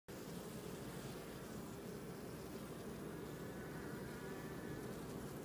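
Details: Honey bees working a comb honey super in a hive at Downs during a sweet and white clover nectar flow, inspected at the hive; a steady, dense low hum with a grainy buzz and no breaks throughout.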